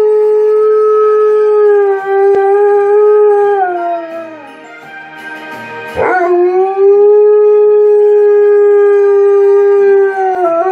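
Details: Tonka, an Alaskan Malamute, sings along to Jingle Bells: long sustained mid-pitched howls held steady, dipping and softening in the middle before a sharp break and a return to one even, drawn-out tone, with faint music beneath.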